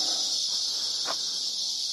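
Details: Cicadas drone in a steady, high, hissing buzz that never lets up, among huge cottonwoods on Empire Ranch Road in the Las Cienegas National Conservation Area, around breakfast time.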